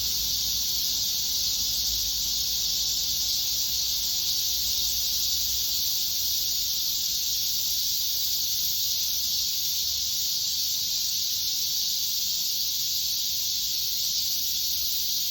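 Cicadas fill the air with a steady, high, hissing drone that never pauses.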